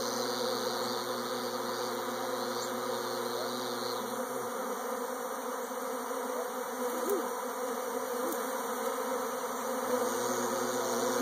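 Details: Swarming honey bees produce a dense, continuous buzzing hum with layered low and mid tones, steady throughout, with a faint low drone present at the start and again near the end.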